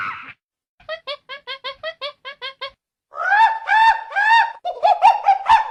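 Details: An unusual, strange monkey vocalising: a brief cry, then about nine short, clipped, evenly spaced chirping notes. After a pause come longer, louder, wavering harmonic calls that run together.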